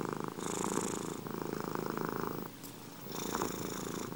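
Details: Domestic cat purring for an ASMR recording: a steady, rumbling low purr that swells and fades with each breath, with a brief quieter gap midway before the purring resumes.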